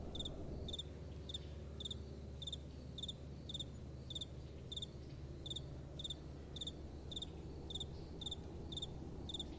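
A cricket chirps steadily in short, high, pulsed bursts over a low rumble of wind.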